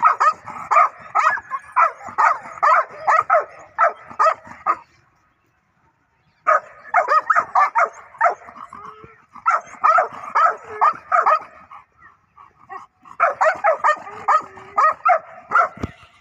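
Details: Aggressive dog barking in rapid runs of about a dozen barks, broken by pauses of one to two seconds, then resuming in fast repeated bursts.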